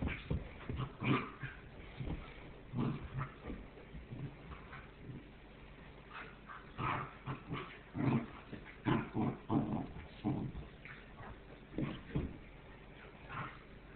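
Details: Two Goldendoodle puppy brothers from the same litter, Zeke and Obe, wrestling indoors across the floor; a run of short growly yips and whimpers in uneven bursts, some close together, with quiet gaps between.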